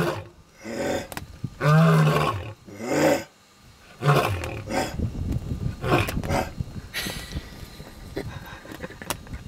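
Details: A lion roars in Zambia: deep, drawn-out moaning calls that break into a run of short, throaty grunts.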